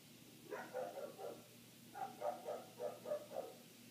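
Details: Neighbour's dog barking continuously for eight minutes, heard indoors with the windows shut; a quick run of three muffled barks, a short pause, then six rapid barks in a steady rhythm.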